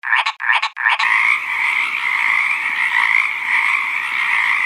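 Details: Frogs croaking, written as "kokak-kokak": three short, loud pulsed bursts in the first second, then a dense, steady, mid-high chorus humming on without a break.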